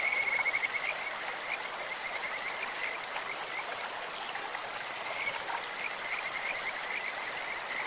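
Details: Kajika frogs in a stream: a short bright pulsed trill opens, followed by scattered softer high notes half-buried in the steady rush of running water.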